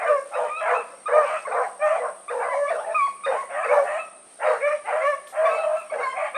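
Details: Blackreek pack hounds Choco, Dino, Johnny Ringo and Mingo let down for an evening run in August 2014; mournful, wavering howls and bays from several dogs in overlapping bursts, one brief lull near the middle, steady high tone behind.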